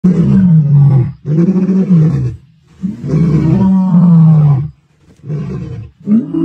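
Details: Mbiri male lions roaring beside the dead Guernsey male they killed, staying in the area and proclaiming their presence; deep, throaty roars in about five heavy bursts, some long and sustained, with brief silent gaps between them.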